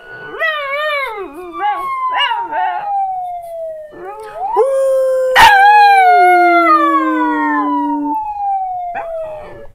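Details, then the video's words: Pet Jack Chi named Tuco howling in reaction to a siren sound board. Wavering, quavering howls dip and rise in pitch, then settle into one long, slowly falling sustained note, while a siren tone glides steadily downward behind it. "Cute Jack Chi Howling"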